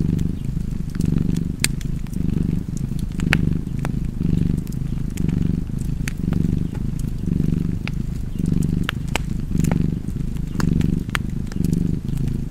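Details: Low, rumbling cat purr pulsing in steady breath cycles, about once a second, a faint hum on each phase, accompanied by crisp crackles of a burning fireplace.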